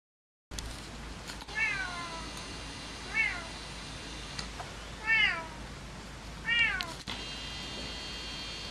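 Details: Siamese cat Alex in winter in the Netherlands gives four drawn-out meows, each rising then falling, spaced about one and a half seconds apart.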